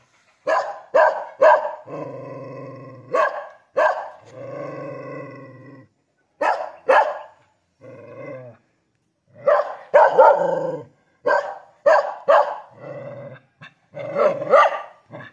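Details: Bangli, Bali Kintamani dog alternating loud clipped barks with sustained low growls of one to two seconds, the barks coming in quick bunches of two to four.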